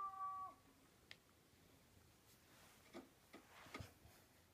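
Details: Domestic cat named Rosie, indoors while watching the Simon's Cat cartoon, gives one short tonal meow at the start, steady then dropping; faint clicks and soft cartoon sounds follow in a quiet room.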